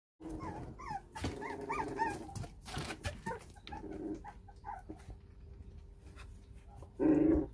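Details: Four-week-old puppies whining to their mother, who has grown cold toward them to push them toward independence; high, thin whines curving up and down in quick series, with knocks and shuffling and one louder muffled cry near the end.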